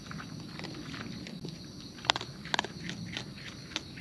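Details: Wild raccoon eating at close range: scattered soft chewing clicks, then a few louder crisp crunches near the middle, over a low rustling, rumbling background.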